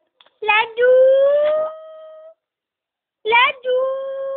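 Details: Jack Russell Terrier x Border Collie mix named Miku: a short broken yelp flows into a long, smooth, slightly rising howl lasting almost two seconds, followed after a pause by another yelp-and-howl phrase.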